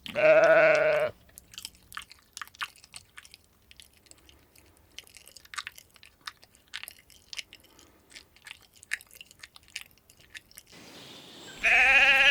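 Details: Sheep grazing leisurely on a spring meadow: two loud, wavering harmonic bleats open and close the recording, with steady crunching and chewing of grass and faint bird chirps between them.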